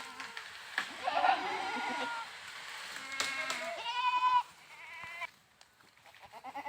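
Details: Goat giving a drawn-out, trembling bleat near the middle after quieter calls, with scattered clicks and some background noise.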